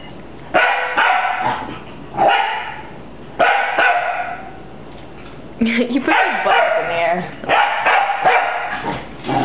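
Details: Puppy fighting a broom, barking in rough, excited bursts of several yaps each, separated by short pauses, with sweeping and scraping noise and people nearby.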